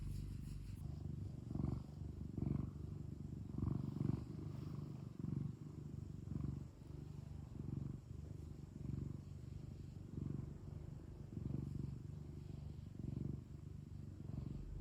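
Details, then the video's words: A cute cat kept indoors purring steadily: a deep, throbbing rumble with regular breath swells about every 1.2 seconds, after a light tap at the very start. "고양이 골골송 | cat purring"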